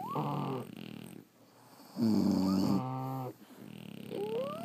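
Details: French Bulldogs asleep, one snoring loudly: a long rasping breath, a brief lull, then a deeper rumbling snore with a strong buzzy tone, ending in a soft wheeze and a rising whistled squeak.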